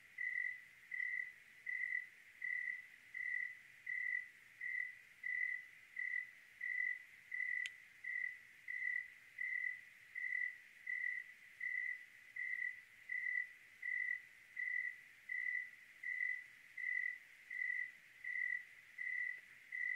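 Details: Cricket on a clear night in Oregon: a steady train of high, pure chirps, roughly 27 in twenty seconds at an even pace, with one sharp click midway over a quiet night background.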